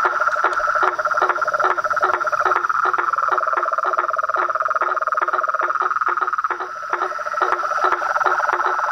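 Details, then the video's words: Noisy nightfall gathering of toads, frogs and treefrogs at a reservoir by a veranda: overlapping rhythmic pulsed calls in two pitch layers, fast and dense for most of the stretch, over a constant trilling hum. "A SINFONIA DOS SAPOS, RÃS E PERERECAS"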